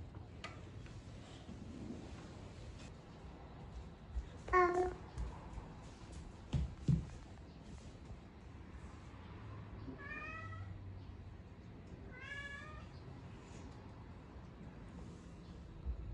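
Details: A Norwegian Forest Cat gives a few short, chirping meows, coming to greet its owner after sensing them arriving home.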